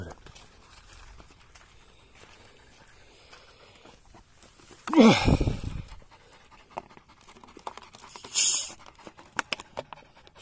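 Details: Polish Hound named Hektor panting outdoors after a 22.5 km bike ride while being given water: soft, quick breaths run through the clip, broken by a loud broadband rushing burst midway and a brief hiss later, with a person speaking.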